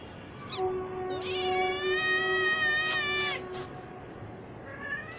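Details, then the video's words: Domestic cat meowing: a long drawn-out harmonic meow with steady pitch, followed by a shorter rising-then-falling meow around the three-second mark, then a faint upward call at the end; low background hum. "cat original voice,Cat Meow Sound,cat voice"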